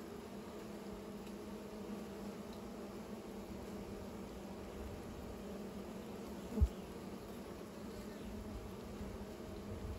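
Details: Bees making new nests give a steady, low droning hum that holds at one pitch with faint overtones throughout, broken only by a single soft thump partway through.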